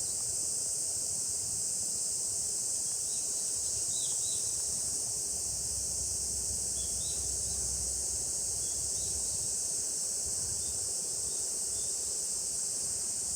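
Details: Japanese summer cicadas make a steady shrill electric hum that never pauses, overlaid by a few faint, brief chirping notes from other creatures.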